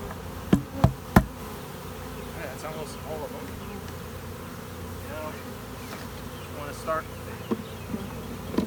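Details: Honey bees of a captured swarm are knocked and dumped into a new hive box after a sugar-water spray; continuous low buzzing broken by several loud sharp knocks early on and later softer thumps.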